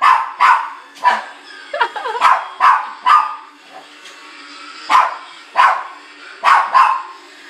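A Shih Tzu barks in sharp, high bursts, often in quick pairs, with brief pauses between.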